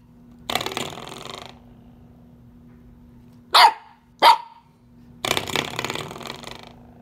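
A Corgi puppy gives two quick, sharp yips between buzzy, rattling twangs of a sprung door stopper.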